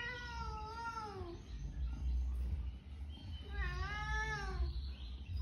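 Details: Cat family at home: two drawn-out, tonal meows, the first gently falling and the second rising then falling, about three seconds apart, over a steady low rumble of background noise.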